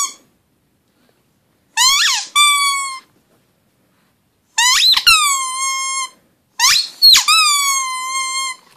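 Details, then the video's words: Indoor pug howl: three long, high, nasal cries, each opening with a rising squeal and then holding a steady, wavering tone for about a second, separated by quiet pauses. "Howling pug"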